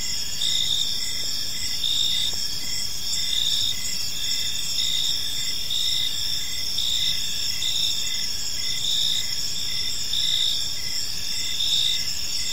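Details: Park crickets in the evening keep up a constant shrill trill overlaid by rhythmic chirps recurring a little over once per second, many insects blending into one even chorus.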